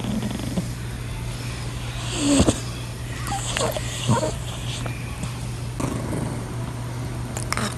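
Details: A male British Shorthair Blue cat sleeps deeply and snores softly, low rumbling breaths over a steady background hum.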